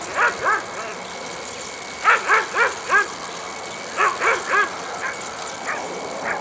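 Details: Dog barking during racing training of an Afghan Hound and a Saluki at Służewiec racetrack, Warsaw, on 28 February 2010; short harmonic barks come in bursts of three or four, with pauses of about a second between bursts, over a steady outdoor hiss.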